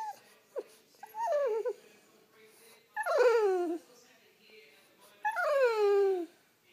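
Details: French Bulldog whining to wake its owner: three drawn-out, wavering whines, each sliding downward with strong harmonics, about two seconds apart, with quiet pauses between and a short yip near the start.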